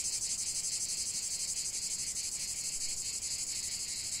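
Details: Cicadas in chorus for nature relaxation, a dense continuous high buzzing hiss pulsing about four times per second, steady and loud throughout with no other clear sounds.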